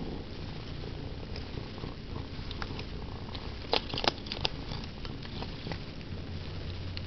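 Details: Purring of Sandy, a pet cat, during her favorite activity; continuous low buzzing rumble with a few sharp crackles and taps near the midpoint.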